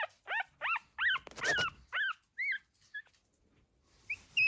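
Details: Pug puppies, 14 days old, just starting to walk, make low noises: a quick run of high, bent whimpers and squeals, about eight in the first three seconds, then a few shorter squeaks after a pause.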